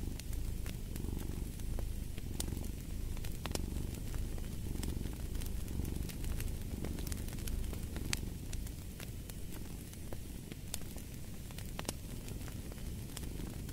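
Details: A rumbling cat purr, less evenly pulsed, runs beneath the busy crackling and popping of a fireplace.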